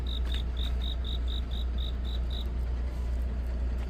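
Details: On a deep autumn night a cricket sings about ten quick, high chirps in an even run before falling silent, leaving a continuous low rumble in the background.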